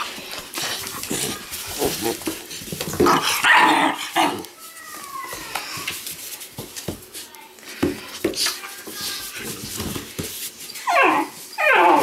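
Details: Rambunctious Weimaraner puppies at play, the smallest male defending himself; brief yelps and small barks, one falling whine near the middle and sharp squeals at the end, amid scuffling and a person's voice.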